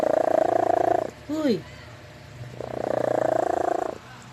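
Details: Leah, a cat, snoring in sleep: a buzzy rattling breath, a brief downward-sliding squeak, a pause, then another long raspy snore with a quick flutter.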